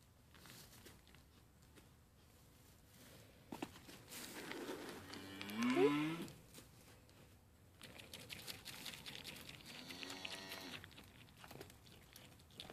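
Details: Two sale-barn Mini LaMancha goats, Maggie and Abbie, being tamed and eating from a hand; one loud bleat with a wavering, rising pitch near the middle, then a softer harmonic bleat later, with rustling and crunching throughout.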